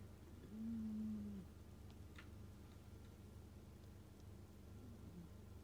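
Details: A Scottish Fold cat gives one drawn-out, low humming snore about a second long, then quiet breathing against a constant low household hum.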